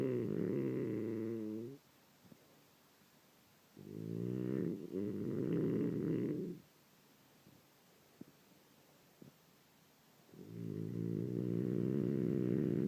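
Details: Sleeping French Bulldog in the morning giving long, rumbling, low snores about two seconds each, with quiet gaps between breaths and faint clicks in the pauses.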